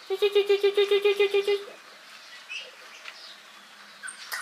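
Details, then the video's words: Hungry puppies crying for food: a steady run of about a dozen short, even, tonal whines repeated quickly for under two seconds, followed by fainter scattered squeaks. "Hungry puppies crying loudly want food"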